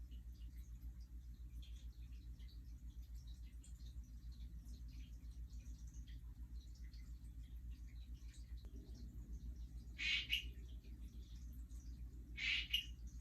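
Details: Dendropsophus ebraccatus, the Hourglass tree frog, calling outside breeding the day after mating, perhaps claiming territory from other males: after quiet hum, two loud short chirps arrive roughly two seconds apart.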